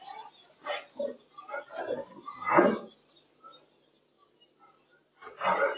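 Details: Boerboels Enzo and Diva, a South African Mastiff couple kept in Egypt, playing together: several short, harsh grunts and snorts, one louder burst near the middle, then near silence before a final rough outburst.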